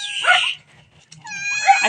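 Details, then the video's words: Pet cat in a family home giving two high, harmonic meows, a short one at the start and a longer, steady one at the end, while a person calls to it softly. "MEOW MEOW, MGA ALAGA KO NA PUSA"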